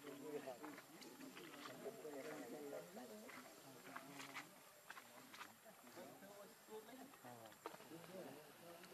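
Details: Baby monkey Lucie, very hungry for milk, crying: a dense run of wavering, warbling cries that rise and fall in pitch, almost continuous across the stretch, with faint sharp clicks and ticks in the background.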